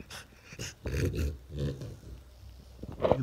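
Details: French Bulldog indoors reacting to strange 'alien' sounds made by a person: low, rough grumbling growls in two main bursts around the first second and a half, then a short sharper sound near the end, with quiet human voice nearby.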